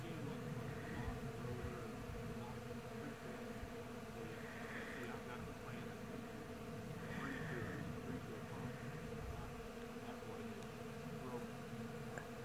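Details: Honey bees foraging by the thousands in a blooming white Bradford pear tree in springtime in the Missouri Ozarks: a steady, continuous low droning hum with faint higher buzzes drifting past, plus a soft background rumble.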